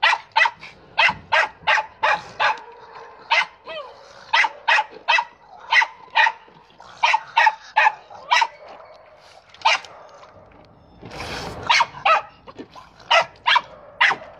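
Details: Dog at play with a ball, giving rapid, sharp barks in quick runs, about thirty in all, with short pauses between volleys and one brief rustling noise near the end.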